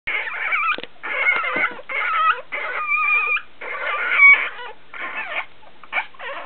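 Week-old Basenji puppies give high, squeaky whines and squeals while begging for milk.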